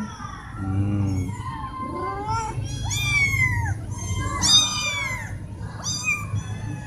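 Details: Loud meowing from four cats asking for food or attention; drawn-out, wavering meows overlap and trade off, some high and bending downward, over a low steady rumble in the background.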